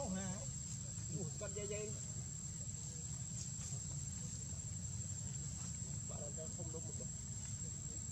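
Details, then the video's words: Baby monkey named Lucie crying after losing its mother: thin, wavering, whimpering cries in short bursts near the start, around two seconds and again at six to seven seconds, over a steady low rumble and a constant high whine. "Really pity baby monkey so much! Poor adorable Lucie crying so pity lost mother"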